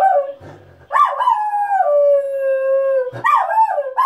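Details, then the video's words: Miniature Schnauzer kept as a family dog, howling at passersby: a brief low snort, then a wavering howl that settles into a long even note, followed by rising, yipping bursts. "Miniature schnauzer barking/snorting/howling"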